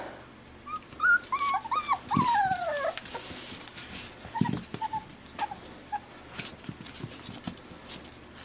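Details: Five-week-old Pembroke Welsh Corgi puppies, AKC-registered, in Arkansas, indoors and starting to play with toys and each other; a burst of high wavering whines and yelps in the first few seconds, then scattered softer squeaks and rustling.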